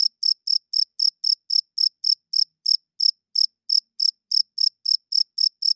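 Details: Cricket chirping at night, loud: a steady run of short, high, shrill chirps, about four per second, each a brief pulsed burst, with one small pause near the middle; no other sounds.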